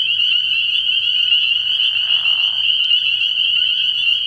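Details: Spring peepers in full chorus at a night-time frog pond early in the year, a seamless high ringing of many overlapping peeps, with a brief softer lower murmur midway.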